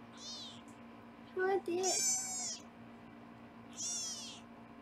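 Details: Very high, thin kitten meows, three short rising-and-falling cries, come from foster kittens being weighed in a Los Angeles kitten room on a live 24/7 cam; a brief human voice cuts in between them.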